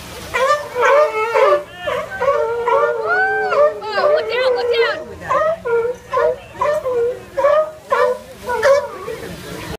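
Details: A sea otter that wants the fish cries for it with loud, whiny, harmonic squeals. Each cry rises and falls. They come in quick bursts about once a second for ten seconds, each wavering cry breaking off sharply.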